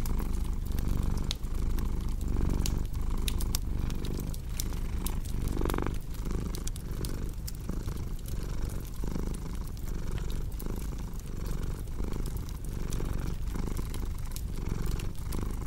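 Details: Continuous deep purring from a cat, a dense low rumble, under the frequent snapping and crackling of a fireplace, with a brief brighter rustle partway through.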